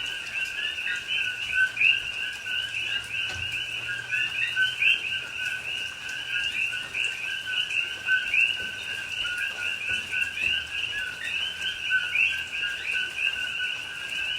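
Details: Many coqui frogs calling together at night in rain, Hawaiian rainforest at Pahoa, October 2021; continuous overlapping upslurred chirps paired with lower notes form a shimmering wall of sound, with rain noise and a faint low hum.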